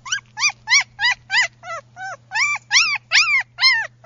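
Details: Tan sable female German Shepherd puppy whimpering in a rapid series of about a dozen high, arched, whining yelps with rich overtones, each under a quarter second, closely spaced, with a faint steady low hum behind.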